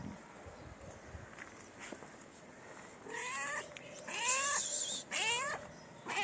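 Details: Stray cats in a city in Morocco, approaching each other for mating: after quiet, three rising, wavering meows close together near the end, with a fourth just starting.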